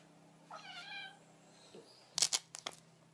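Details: A domestic cat, just home from a forced trip to the vet and whining all day afterwards, gives a single drawn-out, whining meow, followed by a few sharp clattering knocks.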